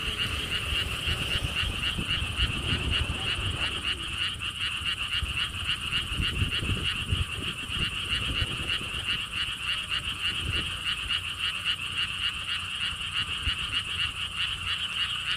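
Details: Many frogs croaking at a lotus theme park in Siheung, Korea, along a stone wall path: a continuous, rapid pulsed chorus at roughly three to four notes a second, with wind buffeting underneath.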